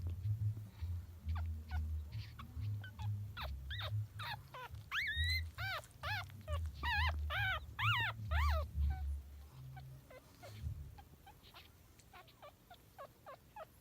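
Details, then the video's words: Chihuahua puppies whimpering while feeding, one unable to find a nipple: rapid squeaky yelps and arched whines, loudest mid-clip, over a low rumbling hum and faint soft music. "Cute Chihuahua Puppies Making Sweet Noises"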